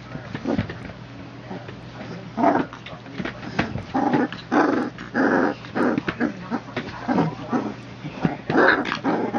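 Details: A litter of three-week-old puppies, born September 22, 2014, of the Legendary Phantom and Lavish Habits pups, tussling in play; rough, low growly bursts repeat roughly every half second to second, with faint voices behind.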